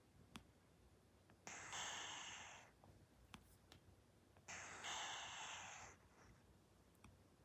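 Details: Persian cat fast asleep, snoring indoors: two long, breathy, hissing exhalations about three seconds apart, each swelling then fading, with faint clicks between them in a quiet room.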